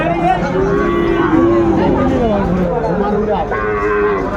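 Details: Sahiwal bull calves in a crowded Chattogram cattle market, Bangladesh, 17 January 2025. Repeated mooing with slowly sliding pitch overlaps, beneath a noisy hum of people talking.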